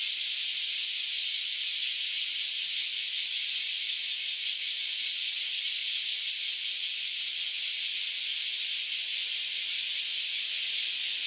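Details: Many newly emerged cicadas, said to have spent about ten years underground, chorus loudly before flying off; a dense, steady, harsh high buzzing fills the air with a fast pulsing throb and no pauses.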